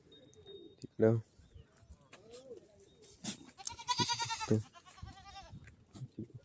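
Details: Kathiawari goat kids suckling milk on a farm: one drawn-out, nasal, tonal bleat of nearly a second, then a shorter, fainter bleat, among sharp knocks, rustling and a man talking.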